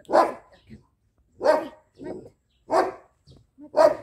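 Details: Loud, clear barks from Lucy, a two-month-old jet black female Belgian Malinois being trained, come roughly every second and a quarter, four strong barks with softer yips between them and a near-silent background.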